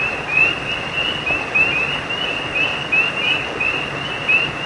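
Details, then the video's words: Night frog chorus by a creek: clusters of thin, high, rising notes repeated roughly every second, irregularly spaced, with a steady hiss of running water underneath. "Night creek frogs cry sound effect"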